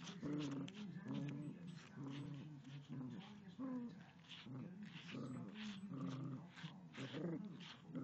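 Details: A Yorkshire Terrier growls at a dog brush in a steady, buzzing rumble that swells and eases in short waves.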